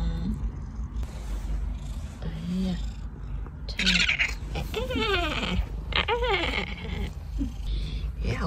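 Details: Pet cat from a household with two cats, Da Huang and Haitang, described as affectionate and clingy. A series of arching, rising then falling meows comes around the middle, mixed with human speech and low room rumble.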